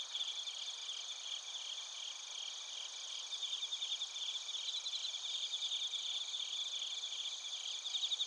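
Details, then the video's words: At Narita, Chiba Prefecture, Japan, bell crickets and field crickets sing together, recorded with a TASCAM Portacapture X8: unbroken high ringing drone plus bursts of fast, bright pulsed chirps rising in intensity toward the end. "スズムシとコオロギの鳴き声 - Chirping of crickets"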